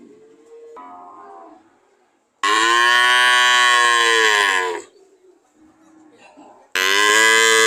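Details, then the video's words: Cows mooing: soft lowing, then a long, loud, rich moo of over two seconds, quiet murmurs, and another loud moo starting at the end. "Sound of cow"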